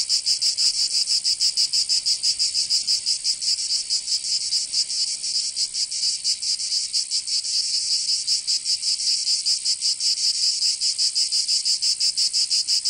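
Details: Summer chorus of cicadas in Provence, in the south of France: a harsh, high-pitched buzzing that throbs in rapid pulses, with the overlapping beats drifting slightly out of step, and nothing else audible.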